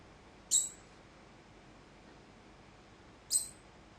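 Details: Degu giving an alarm call that began suddenly for no clear reason: two sharp, very high chirps about three seconds apart over a quiet, faintly hissing background.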